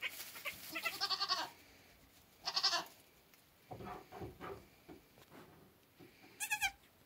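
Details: Two-hour-old Nigerian Dwarf buck kid flirting with the does, giving stuttering, trembling high bleats, a quick burst of pulses then a short cry, softer murmured calls midway, and a final sharp quavering bleat.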